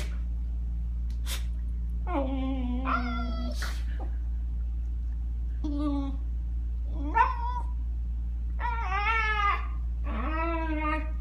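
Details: Shiba Inu vocalizing during play on a bed with a Newfoundland puppy indoors: a series of separate drawn-out whining cries, some rising and falling, spaced a second or two apart over a low electrical hum.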